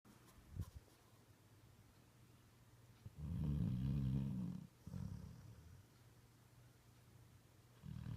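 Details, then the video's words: Sleeping puppy indoors snoring in a deep, human-like way: low rumbling breaths with one long loud snore in the middle, short snorts before and after, quiet room between. "The Puppy That Snores Like a Human!"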